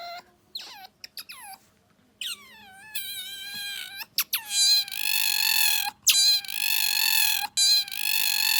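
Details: Pet otter Bingo, who has recently been vocal, producing a brand-new squeal: short falling squeaks at first, then long sustained harmonic squeals broken by brief pauses, over a low steady household hum.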